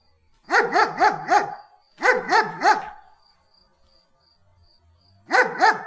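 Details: German Shepherd giving rapid, rhythmic barks in quick runs of three or four, each bark sliding downward, two runs close together, then a pause before a final pair.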